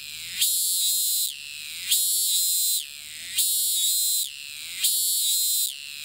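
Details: Cicada in Thailand, filmed from a distance, which keeps calling despite moving between perches: loud, shrill buzzing bursts of about a second, each sliding downward at the end, repeated steadily about forty times a minute.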